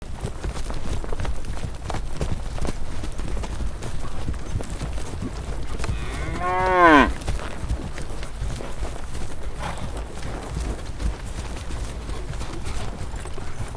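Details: In the Vietnamese countryside, where longhorn cattle graze on green rice fields, a single cow gives a short, arching moo, rising then falling, over a steady low rumble.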